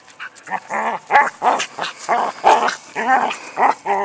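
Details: Ann, a Border Collie, herds a rock in an endless game, giving repeated short whining barks and yelps, roughly two or three per second, with strong stacked harmonics and no other clear sounds.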